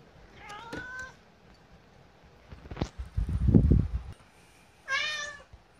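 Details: Kotetsu, a hungry pet cat, keeps pleading for food long before feeding time, sometimes sounding like 'gohan'. Two clear, tonal meows come at the start and near the end, with low thumps and bumping noises between.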